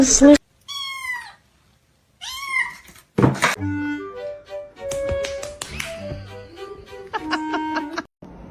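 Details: Pet cat giving two short, high meows that rise and fall, followed by a stretch of plinking background music and some speech.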